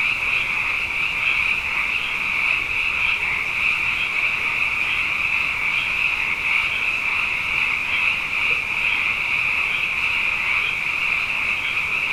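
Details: Night chorus of many frogs, numerous after two consecutive wet years: a constant, bright buzzing trill layered from countless callers, with gentle rhythmic pulses rippling through the steady drone.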